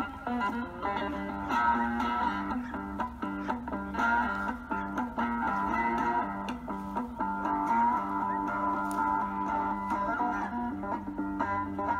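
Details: Strummed electric and bass guitar music fills the recording from start to finish, with no animal sound present.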